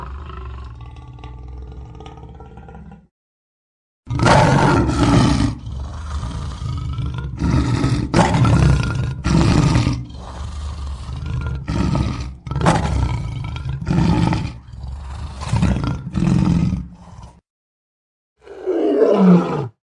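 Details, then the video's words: Lion giving a low, droning roar, then after a short pause a long series of deep, forceful grunts repeated about once a second, ending with a brief falling moan. "Lion Roar 1 Hour Sound"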